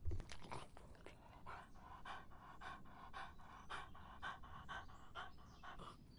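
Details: A dog drinking to quench its thirst in hot summer: a steady run of soft, wet lapping strokes, about four per second, with a faint low hum underneath.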